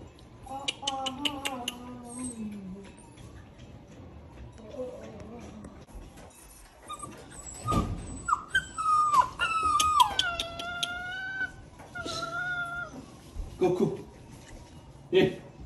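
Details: Unhappy Cane Corso puppy during kennel training: drawn-out wavering whines, then sharper yips and falling cries in clusters, with quiet gaps; faint background speech and music.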